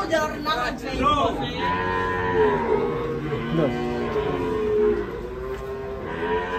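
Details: Agitated cow that ran wild and fell into a ditch when unloaded from a truck, giving a long steady moo of about three seconds, with people talking faintly behind it.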